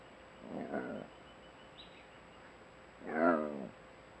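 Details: Camera-trap recording of a wild jaguar in Nayarit mangroves, western Mexico: two hoarse, harmonic, sawing grunts about two and a half seconds apart, the second louder, over a quiet, steady background hiss.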